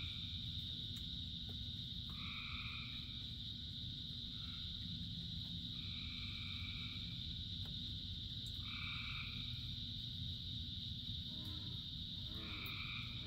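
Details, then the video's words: Thousands of frogs sing in the rain. Sparse two-note calls of about a second break through a constant high drone, and a short rattling burst near the end. Steady downpour noise sits underneath throughout. "Frogs in Rain 2 Hours of Frogs, Thousands of Frogs Singing"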